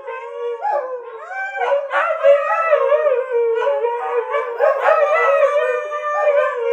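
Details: Group howling of dogs led by choir mistress Kiska: a sliding, bending tone at the start gives way to a dense chorus of sustained, wavering howls with many stacked harmonics, pulsing louder and softer.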